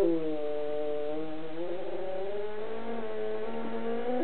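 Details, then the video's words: Pet dog howling along to his favourite song: a long, sustained, wavering howl with rich overtones that slides slightly up and down, with steady music continuing underneath throughout. "THE SINGING DOG!"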